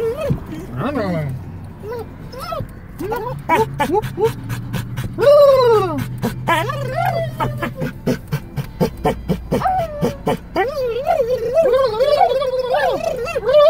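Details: Yodeling pet dog riding in a car, producing bent, wavering whines and a loud arched howl, with rapid panting-like pulses and vehicle hum throughout.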